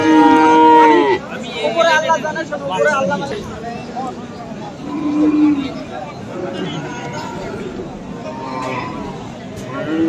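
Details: Cattle at Aftabganj market in Dinajpur on 21 February, where Friesian and crossbred bull calves are offered. A loud, drawn-out harmonic moo opens the clip, followed by softer lowing among market chatter.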